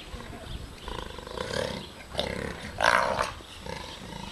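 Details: Jaguar father and cub in Attica Zoological Park, Greece: harsh, rasping roar bursts build across a few seconds, the loudest and longest coming near the end, over a steady low hum with faint voices.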